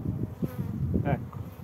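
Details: Western honey bees during a March hive inspection in Italy, while the beekeeper replaces a queen that has stopped laying; steady low humming buzz from the colony with a few brief clicks and handling noises.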